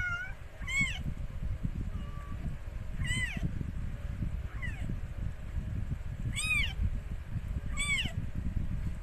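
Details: Mikey, a rescued stray cat giving birth to four kittens: a series of short, high, arched mews, some faint and some strong, the loudest pair near the end, over continuous low rustling.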